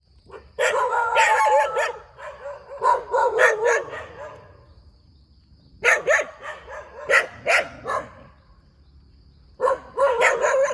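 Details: A dog barks beside a rubber plantation in Thailand. It gives sharp, harsh barks in bursts: a dense run for over a second, a shorter cluster, then several single barks and a final flurry, with quiet gaps between.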